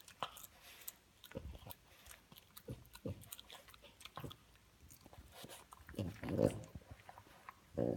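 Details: A female French Bulldog having her teeth brushed with a specially designed dog toothbrush gives snuffly grunts and snorts amid chewing and clicking sounds, with a person speaking briefly.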